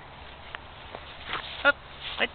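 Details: A female kitten chirps at the camera, a pair of short trilled chirps, the first clipped and tonal, the second dropping in pitch, over a quiet indoor hush with faint rustling and a murmured human voice.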